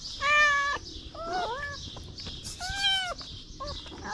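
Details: Little street kitten standing on its hind legs to lick fingers, crying out in three loud wavering meows and a short final squeak, over a faint hiss.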